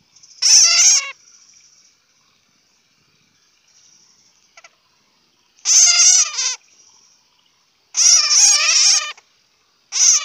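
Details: Bat calls arrive as loud, raspy, stuttering squeal bursts, roughly one second long and spaced two to three seconds apart, with a faint steady high whine and a soft click in the gaps.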